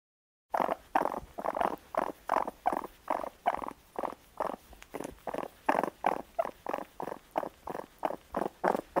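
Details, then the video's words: Rapid pulsing churr from a raccoon, a steady train of short mid-pitched throbs, about three per second, continuing without a break for nearly nine seconds. "Raccoon sounds | The amazing sounds of raccoons | As the raccoon says"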